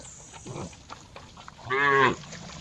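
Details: Cow producing a single loud moo of about half a second, rich in stacked harmonics and slightly nasal, after a faint softer sound; light background noise.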